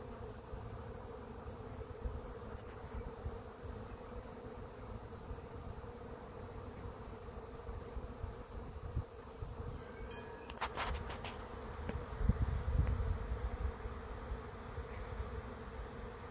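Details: A pretty big bee swarm settling at a swarm trap and clustering on a tree hums in a constant drone, broken by a few sharp clicks midway and low thumps toward the end.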